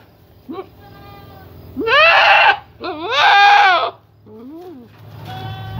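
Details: Young male Boer goat going through puberty or the rut, calling repeatedly with a changing voice: a short bleat, then two long, loud, harsh wavering bleats with rising-falling pitch, and a fainter bleat after.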